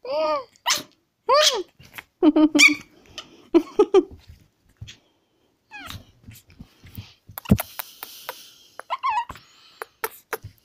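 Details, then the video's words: A Pekingese puppy whimpers in arched, rising-then-falling cries, several in the first seconds, then softer squeaks and a few clicks and taps, with faint human speech in the background. "Пекинес щенок."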